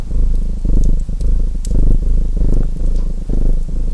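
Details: Low, buzzing purr from a domestic cat, pulsing in quick breath cycles about every half second, each inhale and exhale marked by a short dip, while a fireplace snaps and crackles in the background.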